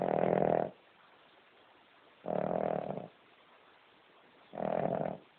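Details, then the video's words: Amber, a sleeping King Charles Spaniel, gives three heavy, buzzing snores with steady pauses of about a second and a half between them, otherwise quiet. "Have you ever heard a dog snoring as LOUD as this one?"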